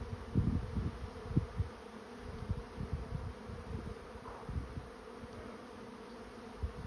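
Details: Honey bee swarm moving into a swarm trap, a steady low droning hum with a faint higher overtone, broken by frequent dull low thumps and bumps throughout.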